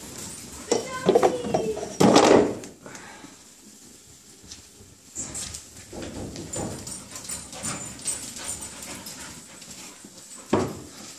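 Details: Two puppies at play, a German Shepherd puppy and a wheaten Terrier: short, high, wavering whines near the start, then a louder yelping burst around two seconds, quieter scuffling, and one more brief yelp at the end.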